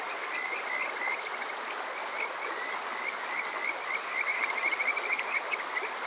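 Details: Kajika frogs calling on a summer night at Water Park Shirayama, Yokoze, Chichibu, Saitama, Japan, recorded on a TASCAM DR-05X: strings of short, clear rising whistles, overlapping and quickening into trilled runs over a steady rushing stream.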